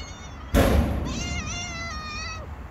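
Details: Street-living stray cat, hungry, lets out a drawn-out wavering meow lasting over a second, just after a sharp thump, with low urban background hum.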